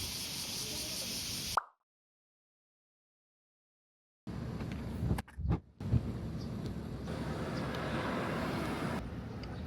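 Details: Urban street noise in Japan with traffic-like rumble and broadband hiss, cut by a stretch of near silence and a few brief clicks, with no clear animal call standing out.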